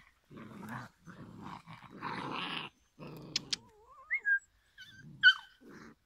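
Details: Five-week-old Giant Schnauzer puppies from one litter growl in low, rough bursts, then give thin, wavering whines and squeaks.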